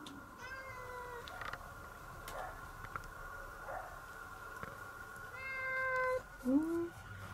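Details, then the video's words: Domestic cat being affectionate towards its owner, kept with a Chihuahua dog. Soft, quiet meows, one near the start and a rising-then-falling pair late on. A steady faint background tone and low room rumble run throughout. "Sweet cat and dog Chihuahua for the owner"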